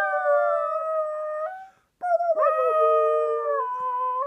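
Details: A young male Shetland Sheepdog, one year old, sings in sustained musical howls, a long even note that briefly breaks off, then resumes with a quick upward lift and slowly falling, drawn-out tones.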